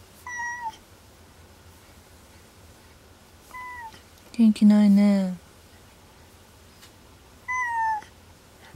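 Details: Unwell male house cat indoors at night, hiding under a desk, refusing food and ignoring catnip. Three thin, descending meows come about every three to four seconds, with a louder, lower, drawn-out moan between the first two.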